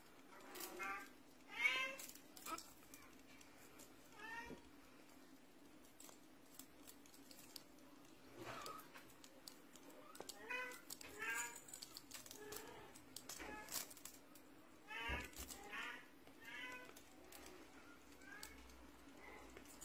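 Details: Russian Blue cat repeatedly mewing across twenty seconds, a string of short wavering harmonic meows at irregular intervals, some in quick pairs, over a constant low hum with clicks and handling noises.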